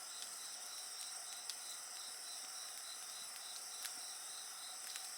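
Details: Insects sing together at night in Japan in a steady, high, shimmering chorus, with pulsed trills around the upper range, while a bonfire crackles and pops sharply throughout.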